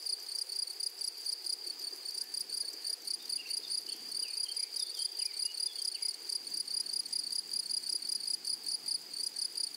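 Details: High, rhythmic pulsed trilling of grasshoppers in a flowering meadow, regular beats continuing throughout, with some faint short chirps of another animal partway through.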